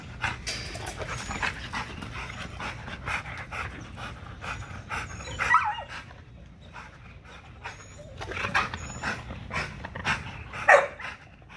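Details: XL American Bully on a heavy-duty spring pole during a muscle-building workout: uneven bursts of harsh, breathy panting and snorting, with louder rasps near six and eleven seconds and faint high chirps in the background.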